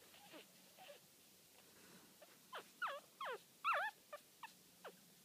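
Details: Scoshihuahua puppies, four days old, born 4 June 2013, lying with their mother; thin high squeaks sweeping sharply downward, about a dozen in quick irregular succession, faint at first and loudest near the middle.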